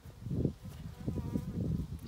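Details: Swarm of honeybees hanging in a tight cluster on a farm in County Kilkenny, Ireland, heard close up from a suited beekeeper: low, steady droning hum with pulsing waves of louder buzzing and no other clear sounds.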